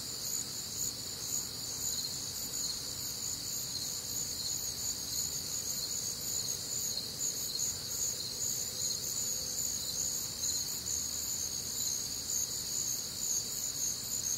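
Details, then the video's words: Crickets and other nocturnal insects on a warm, humid Midwestern summer night, a dense shimmering chorus of high trills layered in several bands, steady and continuous with faint pulsing throughout. "Night Time Cricket Sounds"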